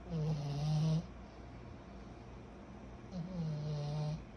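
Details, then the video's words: Snoring pug puppy Kyro, 14 months old, asleep: two long, deep, buzzing snores about two seconds apart, each rattling for nearly a second, with near-silent breathing gaps between them. "Our SNORING 14 months old PUG PUPPY"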